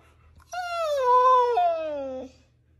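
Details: Dramatic Siberian Husky, unwilling to go outside, lets out a single drawn-out howl of about two seconds that starts high, sags gradually, steps down once midway and fades, over a low background hum.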